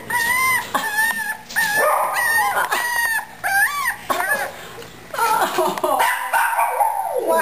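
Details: Upset Cavalier King Charles Spaniel puppy, a big male just moved to the puppy pen, whining in clear, high, wavering cries repeated in quick bursts, with a woman speaking softly over them.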